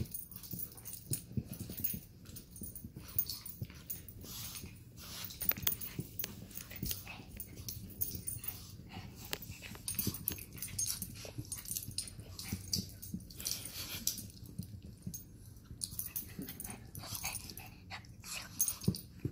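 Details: Sausage the Chug and Weenie the Chihuahua wrestle in a mock fight, giving a steady stream of low grumbling growls, wheezy snorts and scrabbling noises that barely pause.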